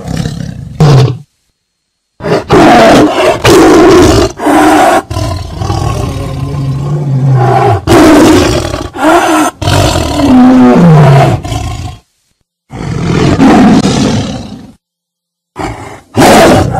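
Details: A tiger (Panthera tigris) gives a series of deep, rasping roars separated by brief silences.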